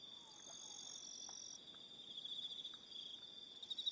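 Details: Crickets on Aroha Island, New Zealand, in the evening: a steady, fairly quiet high-pitched trill holds throughout, with a fainter second tone above it that stops partway through, and a few soft short notes lower down.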